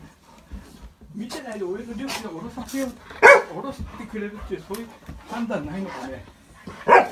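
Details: Golden Retriever at home, wildly excited while greeting family back from several days away on a trip: wavering, high whines and yelps rising and falling, mixed with people talking to the dog.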